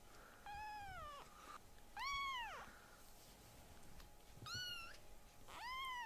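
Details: Rescued foster kittens, the smallest named Piyo, indoors with older male cats, calling loudly: four clear meows about a second long, each arching up then down, spaced roughly every one and a half seconds, over a faint steady hum.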